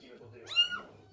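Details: Stray street cat giving one short, high, arching meow, brief and clear over quiet background with faint human voices.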